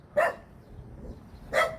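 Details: Dog at a rural countryside house in Korea barking at a passer-by; two short, sharp barks about a second and a half apart over quiet background.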